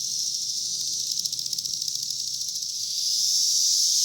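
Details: High, fast-pulsing cicada buzz from insects on a cherry tree in 2021, the throbbing beat giving way to a smoother, louder drone at the end.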